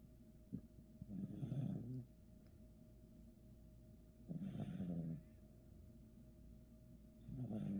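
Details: Sleeping puppy snoring indoors: three rough, low rumbling breaths spaced a few seconds apart, each swelling for about a second, with quiet pauses between them.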